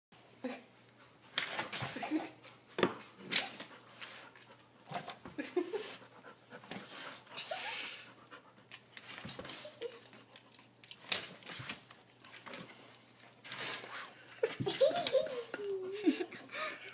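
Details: Old Rottweiler indoors, frustrated while chasing a laser-pointer "bug": rough, breathy panting bursts come in irregular runs, with a short wavering whine-like tone near the end and faint human voices in a small room.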